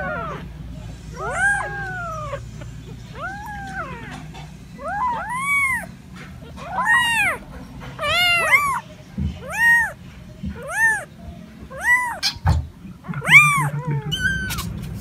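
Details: Domestic cats and kittens meowing: a steady run of arched, rising-then-falling meows, roughly one every second, some short and bright, others longer and drawn out, over a low background hum.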